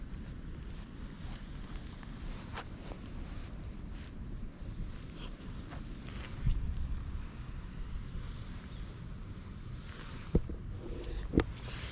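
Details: Outdoor scene with steady low wind rumble and a few faint clicks and knocks, with no animal voice heard.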